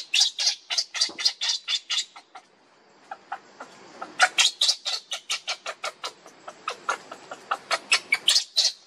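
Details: Baby monkey Lucie begging her mother for milk and being refused: a long run of shrill, harsh squealing cries, about three to four per second, with a brief pause before the insistent bursts resume.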